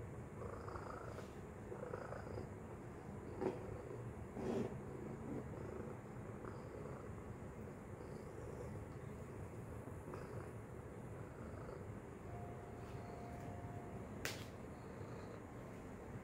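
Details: Domestic cat Tacy purring softly while working a treat toy. A low, even drone sits under irregular knocks and clicks from the toy, plus a short thin whistle-like tone toward the end.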